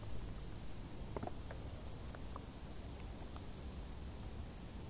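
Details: Crickets heard from tall grass in the summer heat, a shrill, rapidly pulsed chirping repeated evenly, set against low background noise with a few faint clicks.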